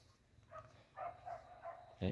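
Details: Hunting dogs loosed in the forest to hunt rats and civets, barking while chasing. A run of short, tonal, distant barks about every third of a second, ending in one louder, harsher bark, over faint background hiss.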